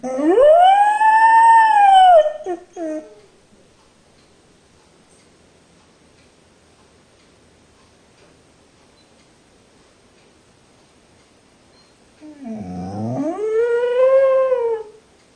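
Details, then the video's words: Rogue the dog, left in the kennel, complains with loud, long, arching whines that are almost howls: one rises and falls over two seconds, then after a long silence another swoops low and climbs back up, rich in harmonics. "Rogue song of despair"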